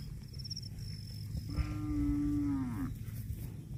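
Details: Cow mooing while grazing on grass: one long, steady, tonal moo lasting over a second that falls away at the end, over a constant low rumble, with a faint high bird whistle early on.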